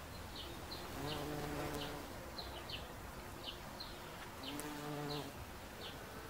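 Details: A bumblebee on an oxeye daisy gives a low, droning buzz that swells and fades twice as it passes, with high bird chirps in the background.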